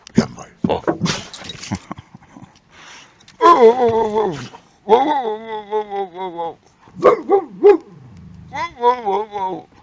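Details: Boxer dog kept as a car alarm, making long wavering harmonic whines and yelps that rise and fall, several drawn-out cries over a few seconds, with human voices talking around it.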